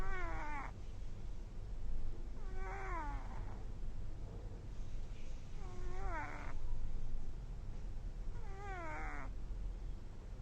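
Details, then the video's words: Sleeping kitten snoring: four squeaky, whistle-like tones that slide downward, each under a second long, returning roughly every two and a half seconds over a low steady background hum. "baby cat snoring"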